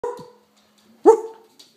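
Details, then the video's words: A pet Springer Spaniel excitedly 'talking' while cheering on the Vikings: two short, tonal barks about a second apart, the second louder with a quick upward inflection, in a quiet room. "Talking Springer Spaniel"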